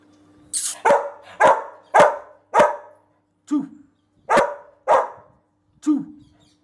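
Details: A Rottweiler barking in a series of deep, harsh barks, about eight over several seconds, spaced roughly half a second to a second apart, with a steady low hum underneath.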